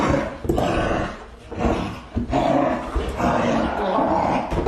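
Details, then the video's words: Large dogs barking with deep, loud, low-pitched voices, a rough growling bark sustained almost continuously with short dips, no clear separated rhythm. "Som de Cachorros Grandes Latindo"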